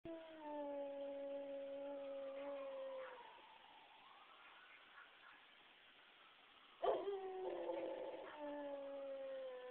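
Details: A dog howls at passing sirens, long sustained wavering tones held for about three seconds, fading, then a sharp onset and renewed howling layered with the steady siren wail.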